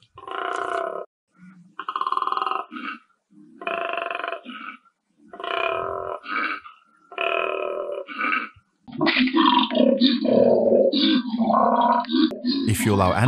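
A koala gives a series of deep, rasping, belch-like grunts, followed by a spoken voice.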